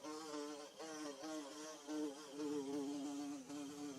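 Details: Close buzzing of bees building a hive: a rich, humming drone with clear overtones that bends up and down in short sweeps as the insects hover and shift.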